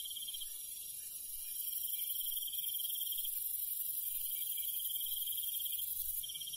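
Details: Crickets calling at night in the countryside, short high trilled bursts separated by brief gaps, layered over a steady, high-pitched insect chorus.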